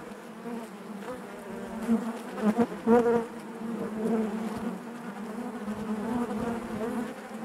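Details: Continuous hum of honey bees within the hive, a thick layered buzz that rises in a few louder surges near two and three seconds before settling back into an even drone.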